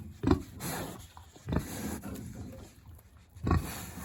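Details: Hungry large pig housed in a village during warm autumn weather, giving three deep, short grunts spaced over a few seconds, with soft rustling between.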